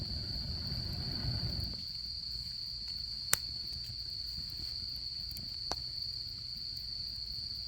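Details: Autumn insects at a campsite beside a campfire: a steady, unbroken high-pitched trill runs throughout, with a low rumbling noise fading out after the first two seconds and a few sharp crackling pops from the fire.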